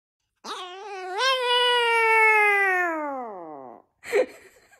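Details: Chihuahua indoors giving a single long, tonal howl: it rises, holds high and then slowly slides downward for about three seconds, followed by a short, rough yelp.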